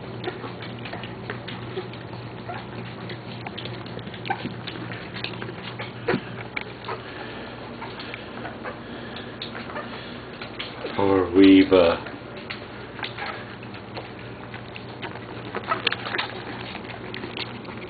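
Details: West Highland White Terrier puppies feeding: a single loud, wavering whine of about a second rises out of steady patter and smacking noises midway, with a constant low hum beneath throughout.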